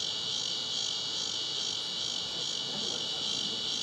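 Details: Walker's cicada calling near a cemetery in Monroe County, Illinois, a species often found in moist places around willows, gives a steady, high, buzzing drone much like the hum of an electrical line.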